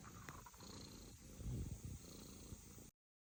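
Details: A British Shorthair kitten makes a soft, low rumbling drone; unclear whether it is snoring or purring.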